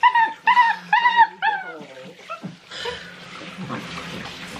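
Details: Six-week-old Great Dane puppies during their first bath, which they hated, give a quick run of high, wavering whines and yelps over the first two seconds, then softer whimpers mixed with splashing and a woman's voice.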